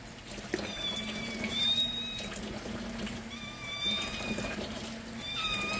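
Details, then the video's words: Several hungry indoor kittens scream for their milk at morning milk time. Thin, high-pitched meows come in short bursts, each held briefly and some sliding slightly, overlapping from different kittens over a low household hum. "Hungry kittens scream for their milk"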